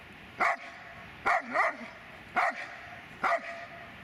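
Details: Dobermann named Magmar Von Der Burgstätte giving four short, sharp barks spaced about a second apart, each a brief broadband burst with quiet pauses between.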